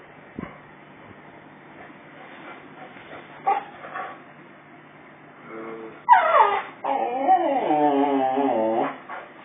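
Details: Male Boxer dog indoors, shown his own reflection in a mirror taken down from the mantelpiece during a house move; quiet opening, then a burst of high, wavering whines with rising and falling pitch in the last few seconds, faint voices nearby.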